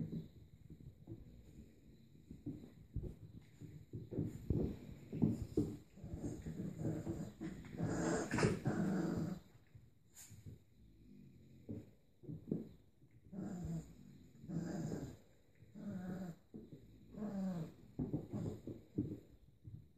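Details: Kuvasz-Golden Retriever cross puppies, about three weeks old, during an indoor play session: low rumbling growls and grumbles in irregular bursts, with occasional higher whimpers and short yips between rough-and-tumble pauses.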